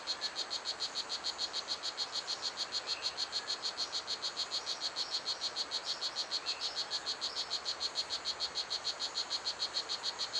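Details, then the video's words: Blue Jeans poison dart frog (strawberry poison dart frog) calling in Pierella Ecological Garden. Rapid, very even chirps repeat about three times a second for the whole stretch, with faint insect buzzing behind. "The Song of Blue Jeans - a Poison Dart Frog"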